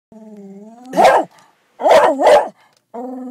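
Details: Pet dog inside a car, angry at another dog more than 200 yards away: a steady high whine at the start, two loud broad barks, the second doubled, then the whining resumes.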